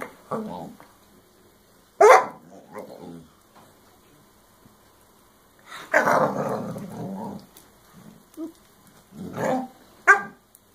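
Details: Scooby, a female puppy, vents frustration at Rocky, who keeps his chew and ignores her, in a toy-strewn room. Rough growling barks come in noisy bursts every few seconds, with sharp yelps between quieter stretches.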